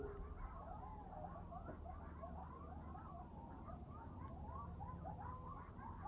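A distant group of coyotes howls and yips in overlapping, wavering, rising and falling voices.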